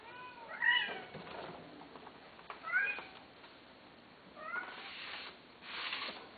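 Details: Pet cats mewing: three high, thin meows spaced about two seconds apart, each sliding down at the end, followed by two soft hissing rustles.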